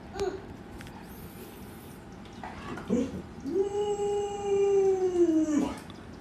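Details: Alaskan Malamute among a group of dogs crowding around their owner indoors, all wanting to get into the bed. A long, steady, tonal howl holds level, then sags slightly before cutting off, after brief scattered noises and a short earlier yelp.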